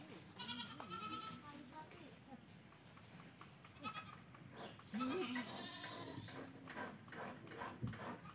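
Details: Goat at a cow and goat shed beside a grandmother's village house set in a garden amid forest; wavering nasal bleats rise near the start and again midway, under quiet talking and a steady high-pitched hiss.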